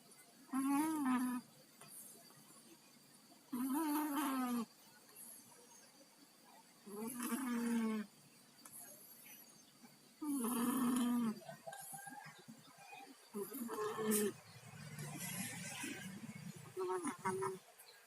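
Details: Sleeping pet cats Tayen and Lilu, both down with colds, snore: about five loud, raspy, nasal breaths recur roughly every three seconds with a wheezy, congested tone, then give way to softer, uneven snuffling breaths near the end.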